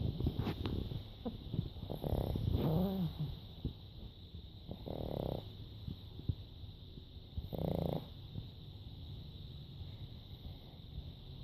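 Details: Emma the pug dozing through her nap; scattered soft snorts and a brief squeaky wheeze, then two short rough snoring breaths about three seconds apart over low hum.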